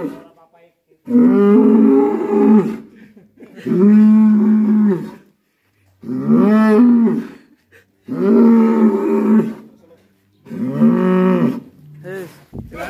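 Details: Raging black bull from Alas Purwo village bellowing loudly, five long harmonic moos of about two seconds each, separated by short silences, roughly one every two and a half seconds.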